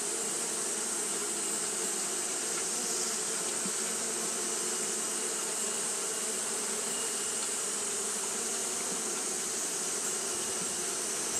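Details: Steady fanning of Japanese honey bees on a hot day: a long, unchanging buzzing drone with layered low hum and a persistent shrill hiss, a few brief louder wingbeat passes.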